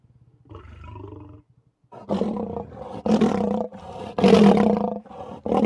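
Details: Lion (Panthera leo), mating growl: vocalizing during mating.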